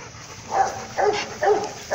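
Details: Dog barking, called the monster's bark, during a filmed fight between a Rottweiler and a German Shepherd: three short, harsh barks come about every half second over quiet background.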